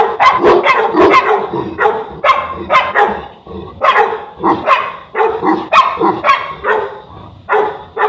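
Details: Boerboel, or South African Mastiff, one of the pair Enzo and Diva living in Egypt, giving deep, rapid barks in irregular bursts throughout, several barks close together, with no other clear sounds.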